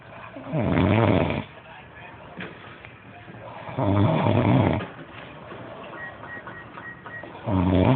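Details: A dog named Carlos snoring heavily indoors. Deep, rough, throaty snores come in long bursts roughly every three seconds, with quieter breathing between them and faint voices in the background.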